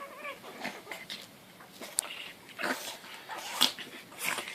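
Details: Two pugs, aged 4 months and 2 months, give high, whiny, cat-like yips and snorty bursts while playing together.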